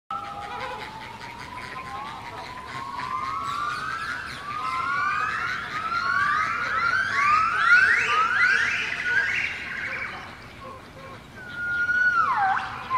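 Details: Gibbons singing at Artis zoo in Amsterdam: a long accelerating series of rising whoops, each note sweeping higher and faster into a climax, then a final high note dropping sharply; faint background chatter.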